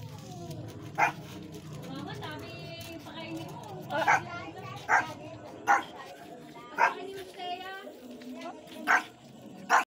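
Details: Shih Tzu mother with two newborn puppies, short sharp barks repeated roughly every second over steady background noise, with faint higher squeaky sounds between them.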